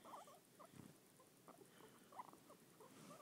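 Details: A male pet guinea pig makes soft, quick squeaky chirps and chattering bursts while being petted; he always vocalizes when petted and stops when petting stops.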